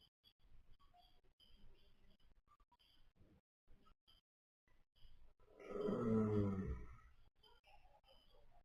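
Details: A napping baby pony breathes softly with faint rustles, then lets out one loud, deep, rough snore lasting over a second, followed by quieter breaths.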